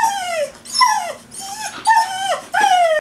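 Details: Coco, a Whippet-Lurcher cross, stands and cries to be taken for a walk; five rapid descending whimpers, some with a quick upward break, run almost back to back, with faint music underneath.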